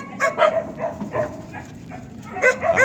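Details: Jindo, a Korean native dog breed, barking in short yappy bursts: a quick double bark, softer grumbling barks, a quiet stretch, then another rapid double bark over a murmuring background.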